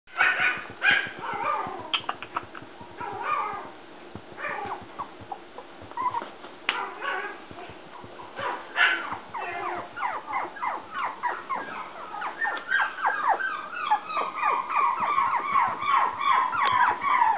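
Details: Black female toy poodle puppy, 57 days old, born 1 December 2014, from a breeder in Shiga, Japan, filmed 27 January: a steady stream of high, whining yelps and squeaky yips, growing denser and more rapid toward the end.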